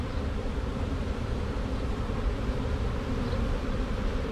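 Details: Honey bees of a freshly caught swarm marching into their box after a tree-branch shake; heavy low rumbling hum, dense and unbroken.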